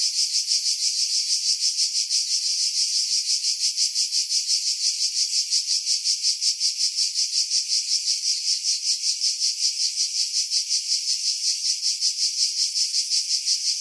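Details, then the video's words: In pine woods 50 m above the sea at Pefkos Bay, Skiros Island, Greece, July cicadas keep up a loud shrill drone, rhythmically pulsing nearly three times each second, with filtered wind leaving only the insects. "Cicada Sounds, July 2018 Skiros, Greece"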